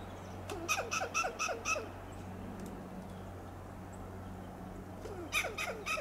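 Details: Loud alarm calls from a western gray squirrel perched on a coast live oak, Del Monte Forest, California: two bursts of rapid staccato clucks, five or six per burst, separated by a few seconds of low hum.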